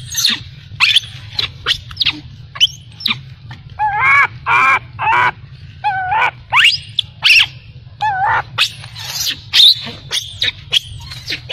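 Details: Baby macaque crying after its mother abandoned it: clicks and taps, then wavering harmonic wails that come in short bursts and grow more frequent toward the end, with a low hum beneath.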